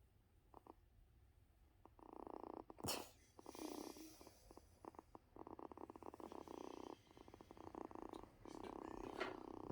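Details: Sick kitten purring on a couch after being rubbed: a steady, pulsing low rumble that comes in long stretches with brief pauses, plus some handling clicks and soft indoor noise.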